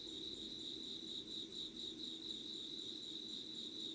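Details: Insects calling at dawn in Yugawara, Kanagawa, Japan, 25 August 2019; a short stretch of rhythmic high-pitched chirping, roughly two pulses per second, above a faint low hum.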